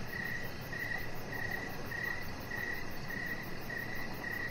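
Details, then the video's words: Crickets chirping outdoors in the evening beside a deck where a puppy lies: steady, clear mid-pitched chirps repeating about every two-thirds of a second, with a faint higher pulsing above and a constant low rumble beneath. "3 Hours Of Chihuahua Puppy Laying On Deck with Cricket Sounds"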